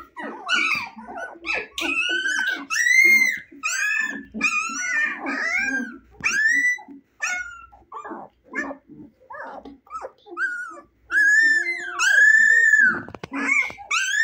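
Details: Playful 25-day-old Husky puppies, eyes recently opened, fill the room with a busy mix of squeaky yips, short barks, whines and low growls, overlapping and rising in bursts.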